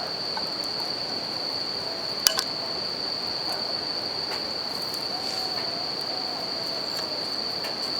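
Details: Bell crickets singing at night beside a campfire and river: a steady, high ringing tone holds unbroken throughout, with sharp crackles and pops from the fire and a soft rushing wash of flowing water beneath.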